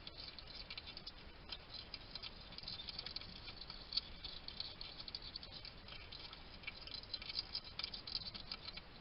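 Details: Feeding alone at a garden station in Somerset, UK, a wild male hedgehog chatters to himself as he eats. A trail camera picks up rapid, dry clicking and chewing patter, steady throughout, over background hiss.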